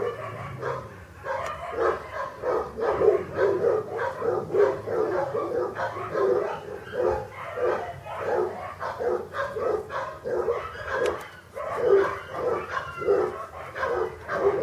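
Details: A litter of English Cocker Spaniel puppies, born August 2011 at a kennel, yelping continuously: rapid, jostling high-pitched yips and squeals repeated several times a second for the whole stretch, many pups overlapping, over a faint low hum.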